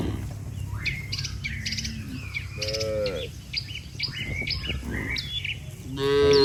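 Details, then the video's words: Cattle herd heading back to the barn with a herder: a clear, curving low moo near the middle and another beginning at the end, set against dense high-pitched birdsong and chirping. "Suara Sapi Moo"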